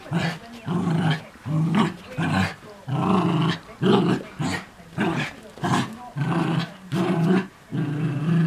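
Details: Early morning play between two Miniature Schnauzers, including a new puppy, chasing and tugging: deep rumbling growls in steady bursts about every second, interspersed with short rustling and scuffling sounds.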